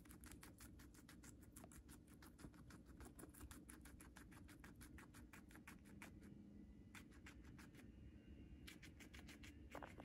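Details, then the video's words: Pet guinea pig eating Chinese cabbage, recorded up close indoors: a rapid run of crisp crunching clicks, sometimes in dense bursts and sometimes spaced, with short pauses between bites over a steady low room hum. "Guinea Pig Eating Sounds"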